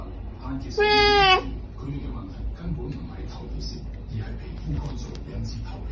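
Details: Captain, a ginger cat, being given medicine with food, lets out one loud, drawn-out, harmonic meow of about half a second early on, followed by Cantonese speech and indoor room noise.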